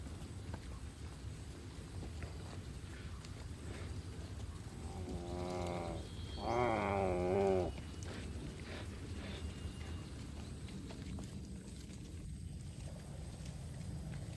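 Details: Cattle from a herd grazing on a green field give a drawn-out, wavering moo of about two and a half seconds, low and richly harmonic, over a steady rural background hum.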